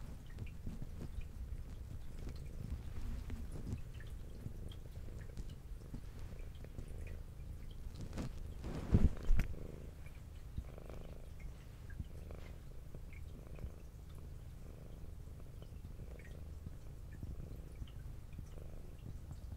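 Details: Adult female brown tabby cat with white underside, kept indoors, purring while eating; a soft low rumbling purr pulsing steadily, with a brief louder bump of handling or chewing noise partway through.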